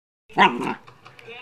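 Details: A 12-week-old female German Shepherd Husky mix puppy, playing with her first porkhide roll, gives one short, bright, yappy bark that breaks off quickly, followed by softer murmurs and a person's voice.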